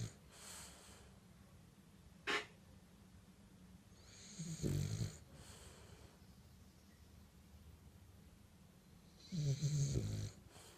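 A French bulldog snores in slow, rasping breaths, each deep rattling snore coming about every four to five seconds.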